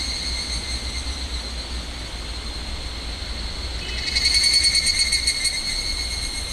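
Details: Summer chorus of higurashi cicadas near the restricted area of Minamisoma, Fukushima, August 2011, very loud: steady ringing high tones, then rapid bright pulses burst in after four seconds over a low continuous rumble.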